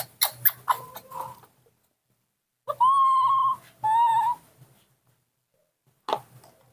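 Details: Newborn baby monkey, hand-reared, crying for milk in a tantrum: two long clear whistled squeals, steady then slightly falling with bright overtones, after soft clicks and handling noises; brief rustling at the end.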